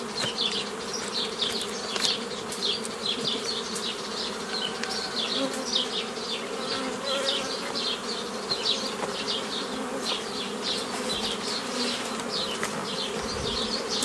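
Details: Beekeeping session on 15 May 2018 splitting a forager swarm into nucleus colonies: honey bees hum as a constant low drone throughout, overlaid by a dense stream of short, high, falling chirps repeated several times a second.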